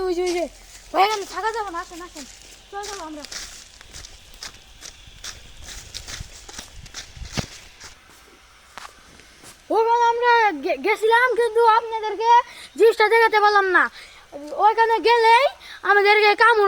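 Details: Jackals calling: wavering, arching wails with rich harmonics come in short bursts, then a quieter stretch with rustling, followed by a loud run of overlapping rising-and-falling howls repeated roughly every second.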